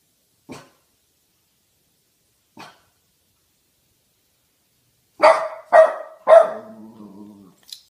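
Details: A 9-month-old Boston Terrier lets out three sharp, quick barks on guard, after two faint taps.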